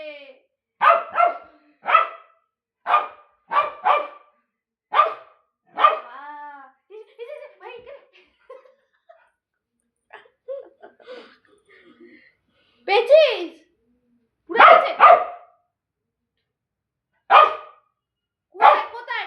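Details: Pet dog Bozo gives a steady series of short, sharp barks about once a second, then a quieter stretch of softer yips and voices, before the loud barking resumes.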